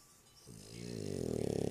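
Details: Sleeping dog Lúa giving one snore that builds from quiet into a loud, rapidly pulsing rattle over under two seconds, in a small indoor room.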